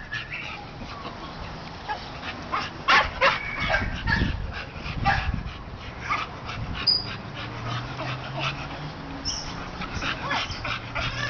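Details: American Bully dog giving short loud barking bursts near the third and fourth seconds, with thin high whines and yips scattered through the rest, over a steady low room hum.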